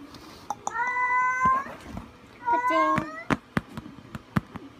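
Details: Munchkin kitten, 45 days old, giving two drawn-out, tonal meows, each with a slight upward bend. Several sharp taps and clicks follow indoors.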